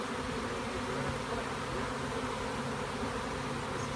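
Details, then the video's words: Large honey bee swarm streaming back to its original hive from a tree, 30 April 2017, after a nuc box with a few frames was put up; an unbroken, thick humming drone fills the whole stretch. "returning honey bee swarm"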